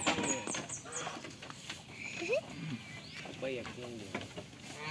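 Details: Farm goats playing and eating: a short, quavering bleat with stacked harmonics rises mid-clip and is followed by a wavering bleat, over a short run of high repeated chirps at the start and a busy rural background.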